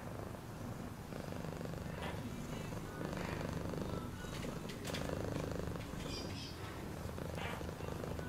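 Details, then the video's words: Steady purr from a cat: a deep, even, vibrating rumble that holds without pause, with a few light ticks and faint brighter sounds above it. "Cat purring sound"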